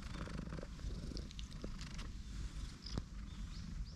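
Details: Low continuous purring from a tortoiseshell cat settled on a lap on a park bench, a cuddly stray in a park, while small birds chirp faintly in the background.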